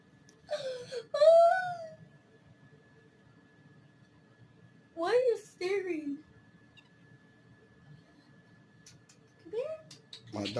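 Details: Kitten giving drawn-out, wavering meows that slide downward: one long cry near the start, a pair of shorter ones around the middle, and a brief rising call near the end, separated by quiet gaps, with a person talking nearby.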